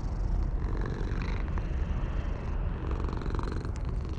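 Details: Purring from a stray cat on a wall, which is pleased at being stroked. A continuous low rumble runs throughout, with faint outdoor background noise.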